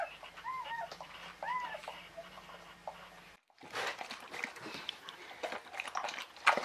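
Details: Czechoslovakian Wolfdog pup, newly born during Orizon's whelping of five female puppies on 21 November 2020; several short arched squeaks in quick succession over the first seconds, then an abrupt cut to rustling and handling noise.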